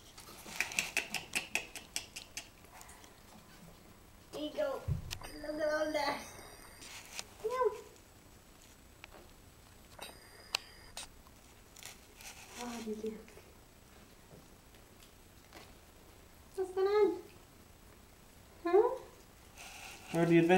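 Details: Five-week-old puppies indoors, giving short, wavering whines and yelps in scattered bursts, with a person talking between them and some tapping and handling noise.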